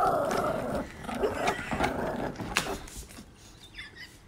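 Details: Romeo, a pet Pomeranian dog, gives a rough, rumbling growl with harmonic whines in the first second and a half, then trails off into scattered softer grumbles and household clatter.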